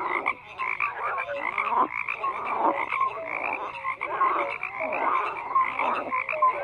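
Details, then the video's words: Frogs croaking in a dense chorus, many overlapping rattling croaks layered with short mid-pitched notes, pulsing in uneven waves with brief dips, no other sounds present. "FROGS CROAKING"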